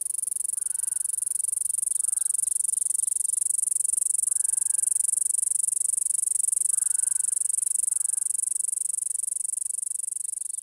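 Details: A cicada in Nova Scotia in summer gives its mating call, a steady, high, shrill buzz that runs unbroken from start to finish.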